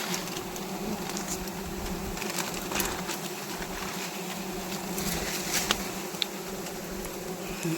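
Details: Swarm of wild honey bees buzzing as a wild honey harvest goes on, bees stinging the harvesters; a constant low drone layered with crackling handling noises and faint distant voices.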